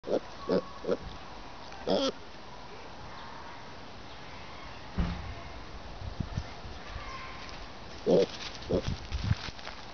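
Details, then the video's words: A pet pig, described as a boar, being noisy up close while trying to eat the camera; short nasal grunts come in clusters of two or three, with long quiet gaps and steady background hiss. "Daisy the Boar being noisy & trying to eat the camera"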